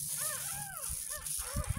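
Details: Ten-day-old kitten mewing while washed for the first time, a handful of short rising-falling cries over low thumping and handling noise.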